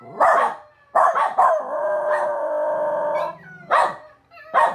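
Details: Zachary the dog gives a sustained, steady-pitched howl of about two seconds, bracketed by loud, harsh bark-like bursts before and after.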